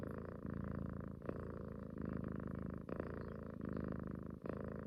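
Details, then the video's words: A cuddling house cat that loves to snuggle purrs in a deep, even rumble, each breath cycle lasting roughly a second with brief clicks between inhale and exhale. "Snoring cat wants mother’s love"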